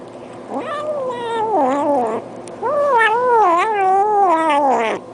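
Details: Cat making drawn-out, wavering meow-like vocal sounds while eating, two long rising-and-falling calls of about one and a half seconds each with a short pause between, in an indoor setting.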